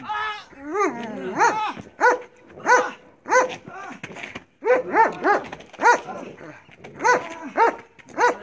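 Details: Marley, a Belgian Malinois in bite work training, barks in rapid harmonic bursts, roughly every half second, with brief pauses between volleys.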